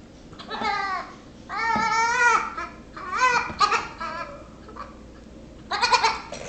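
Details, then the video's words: Six-week-old Nigerian Dwarf goat kid pesters a Yorkshire Terrier, bleating repeatedly: a series of quavering, nasal bleats, one held nearly a second, followed by shorter broken ones and a final burst. "Nigerian Dwarf Baby Goat Annoying Yorkie"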